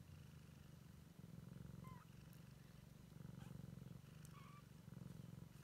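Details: Siamese kitten exploring and checking out the world for the first time, purring with a steady low rumble that swells and fades in waves about once a second, with faint brief high chirps in the background.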